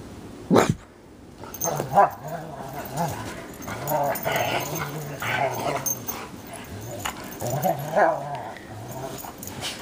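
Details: Two Bernese Mountain Dogs playing together in the snow; a sharp burst early on, then repeated low, rumbling growls in short pulses, each lasting under a second, with scuffling movement noise throughout.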